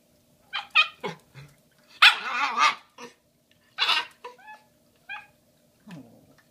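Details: Shiba Inu puppy Bowie, female, almost five months, puzzled by a huge bone given for Valentine's Day 2016: quick high yips and two longer harsh whining cries, then a few thin squeaks fading out.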